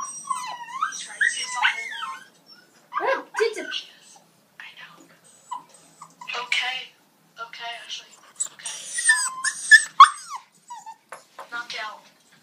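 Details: Two Siberian Husky puppies on their first vet visit complain in overlapping bursts of wavering high whines and short yelps that rise, bend and fall, coming in uneven runs of distress.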